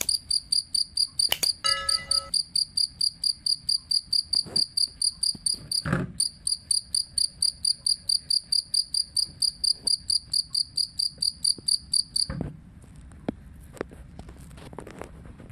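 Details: Two-spotted cricket chirping as tutor audio for songbirds: high, bright pulsed chirps with a ringing overtone, about two per second for twelve seconds, then stopping. A knock and a brief tonal sound occur near the start, with low background rumble.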